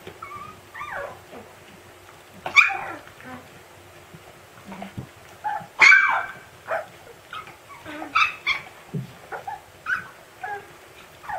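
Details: Siberian Husky puppy yelling at its siblings: scattered short yips and squeaky yelps, a few sharp high cries standing out loudly, with quieter whines and rustling in between.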